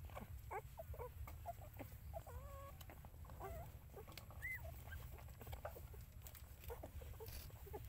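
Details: Mother dog looking after her puppies; short, high, harmonic whining squeaks come in scattered bursts, one sliding upward, over a steady low rumble with faint clicks and rustling.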